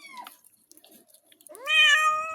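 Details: Domestic cat meowing while being given a bath indoors in a small room: one loud, drawn-out harmonic meow rising then holding steady, preceded by faint soft sounds and a brief short squeak.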